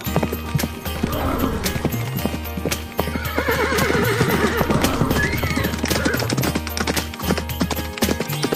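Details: Horse neighing with a wavering, quavering whinny in the middle of the recording, preceded and followed by clip-clopping hoof beats, all over steady background music.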